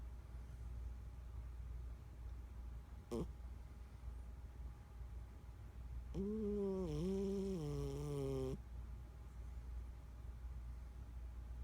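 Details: Bella Rue Rue, a 14-year-old domestic cat, snoring in sleep: one drawn-out, voiced snore of about two seconds with a steady low tone that dips and steps down in pitch, over a quiet indoor hum and a single faint click.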